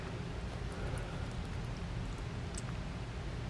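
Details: Dense low rumble and soft hiss, with scattered light clicks and no audible animal voice.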